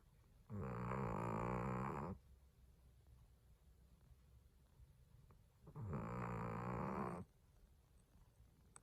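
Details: Indoors, a beloved Chihuahua sleeps and snores like a middle-aged man, two long raspy droning snores about five seconds apart, each near one and a half seconds, rich in low harmonics, silence otherwise.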